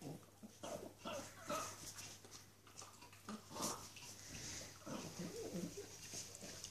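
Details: A little Norwich Terrier girl chewing a tasty bone gives quiet, muffled grunts and snorts, with crunching and gnawing between them and a faint steady hum behind.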